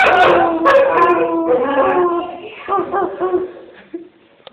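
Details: A Chow Chow dog "talking": a loud, wavering, howl-like moan with several harmonics that bends up and down, then breaks into shorter yips and warbles that fade out toward the end.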